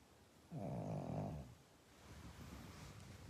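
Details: Pug snoring: a single low, buzzy, nasal snore of about one second, then softer breathing noise, in a quiet indoor space.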